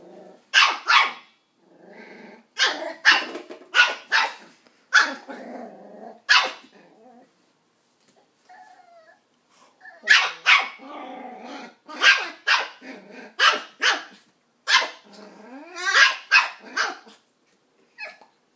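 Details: A nine-week-old Westie pup yaps repeatedly at an empty coke bottle, quick bursts of high, sharp barks in two bouts separated by a brief quiet spell, with some growling between them.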